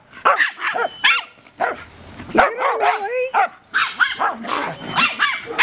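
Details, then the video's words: Millie, a pet dog meeting tortoise Lori for the first time on her first day home, gives rapid shrill yapping barks in uneven bursts, with a drawn-out whine in the middle and human speech mixed in. "Millie Barking at Lori"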